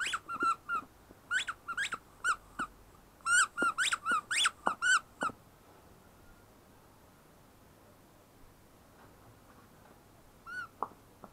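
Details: Ten-week-old female shepherd puppy giving a rapid run of high squeaky whines for about five seconds, some louder and overlapping, then near silence until a final short whimper near the end.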